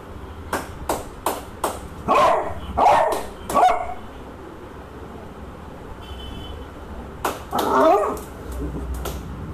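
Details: A beagle afraid of a bug gives a quick run of sharp barks, then longer, wavering yelping howls born of fear.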